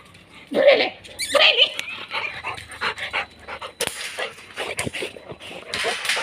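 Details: Two-year-old female American bully dog gives short high whimpering whines in brief bursts, mixed with people talking and laughing nearby in an indoor setting.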